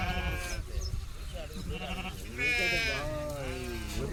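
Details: A sheep just bought cheaply in a village bleats in short, wavering, quavering cries, the loudest near the middle, while people talk close by in Telugu.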